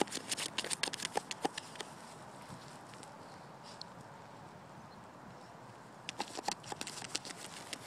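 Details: A Lhasa Apso digging, with quick bursts of sharp, irregular scratching clicks.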